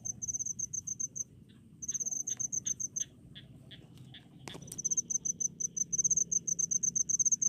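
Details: Crickets in countryside rice fields give bursts of sharp, high pulsed chirps, broken by short pauses filled with slower lower ticking calls and a single loud click, then the chirping resumes.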